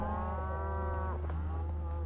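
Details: A cow on a Montana ranch roundup, with cattle being driven through thick brush, gives a steady, drawn-out moo lasting about a second over a low rumble.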